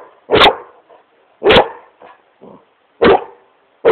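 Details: Playful Great Pyrenees called Smokey barking at his couch in his room: strong single woofs roughly every second and a half, separated by quiet huffs and short muffled noises.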